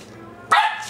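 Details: Ten-week-old female dachsador puppy (Labrador–dachshund cross) barking at her own reflection in glass, December 2008; one short, sharp, high-pitched yap after a quiet moment.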